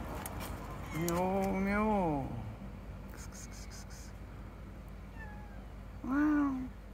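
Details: Calico cat on a roof giving a long, wavering, drawn-out meow that rises and falls, then a shorter, higher meow about four seconds later, over a steady low background hum.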